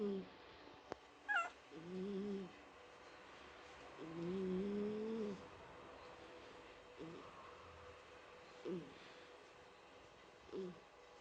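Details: Pet cat asleep at home snores with soft, low tonal whistling breaths, each slightly rising and about a second long, recurring every two to three seconds over a faint steady hiss.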